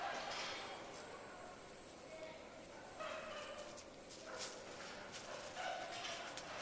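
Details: Chimpanzees at Tama Zoological Park in Japan scream while going back into their sleeping quarters; faint wavering, harmonic wails rise and fall in overlapping bursts against a reverberant, hissy background with scattered sharp knocks.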